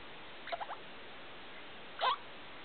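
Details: Night calls from Felica the degu, kept as a pet, at 2 o'clock in the morning in a lit room: a soft stuttering trill of quick notes, then one louder rising chirp.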